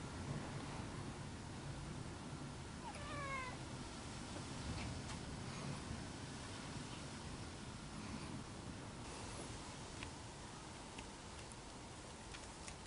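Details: A white pet cat at a window, frightened by the loud first spring gale, gives one short harmonic meow near the third second while strong, steady rushing wind noise fills the whole recording.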